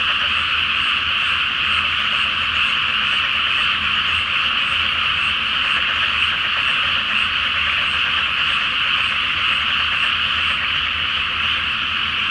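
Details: Frogs in great numbers croak at night in a flooded rice paddy before planting beneath the full flower moon, a constant, thick chorus of rapid trilled calls.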